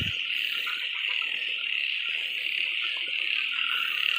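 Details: After fresh rain in rice paddies in northeast Thailand (Isan), a dense chorus of many small frogs gives a steady, high-pitched buzzing trill with no pauses; small males call to attract females.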